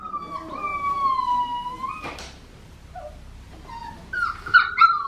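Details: Blue merle Australian Shepherd puppy, female, giving one long drawn-out whine that slowly falls in pitch, then a brief knock, and after a pause a few higher squeaky yips.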